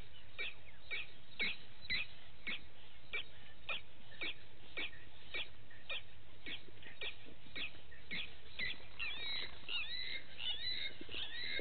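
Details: Vervet monkeys in the morning at Gowrie dam waterhole, Djuma Game Reserve, Sabi Sand Wildtuin, South Africa; short sharp calls repeated about twice a second, with a burst of faster, overlapping sweeping notes near the end.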